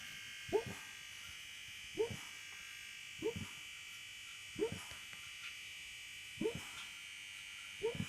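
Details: Staffordshire Terrier sleeping soundly after the New Year celebrations, breathing in soft, short snorts that repeat about every one and a half seconds over a steady electrical hum indoors.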